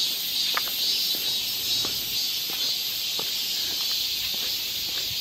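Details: Many cicadas in a Seoul park forest, Galsan Park, during summer: a continuous sizzling drone, high and even, pulsing slightly in loudness, with light ticking sounds below it.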